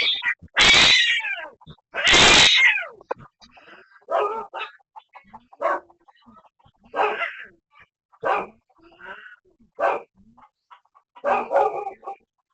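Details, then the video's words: Cat in an ongoing feud with an orange neighbourhood cat: two loud, harsh, noisy bursts open, then a run of wavering, moaning yowls rising and falling in pitch, repeated about every one to two seconds. "Neighborhood Cat always has a beef with orange"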